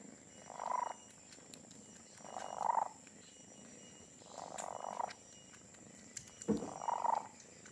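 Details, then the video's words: Donat (Doughnut), a pet cat described as having the loudest purr, purrs in soft raspy bursts roughly every two seconds, swelling and fading with each breath over a faint steady background hum. "Raja ngorok/the purring machine (cat's purring)"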